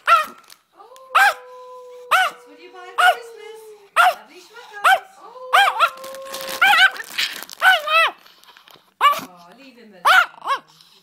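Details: Papillon dog at Christmas, unwilling to share its Christmas toys, giving short arched yappy barks and whiny vocalisations at irregular intervals while a person talks to it, asking to share the toys.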